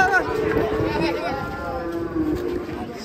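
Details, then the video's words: Cattle coming down off a truck in Indonesia: a wavering, bending moo runs through most of the moment, layered with people talking nearby and outdoor background noise. "KUMPULAN SAPI EXTRIM TURUN DARI TRUK"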